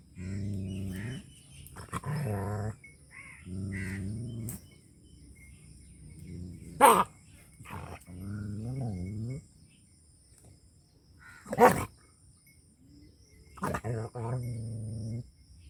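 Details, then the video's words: Dog in rural Punjab, Pakistan, sounding angry: long, wavering, moaning growls rising and falling in pitch, broken by a few sudden sharp barks. "FUNNY DOG BARKING & HOWLING"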